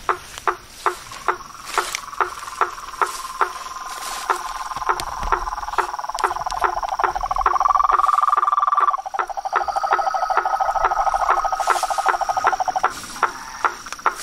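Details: Frogs and toads calling in nature, a sleep-aid recording: sharp knocking clicks repeat about every half second over overlapping buzzy trills and a steady high whine, the chorus swelling louder midway before easing back.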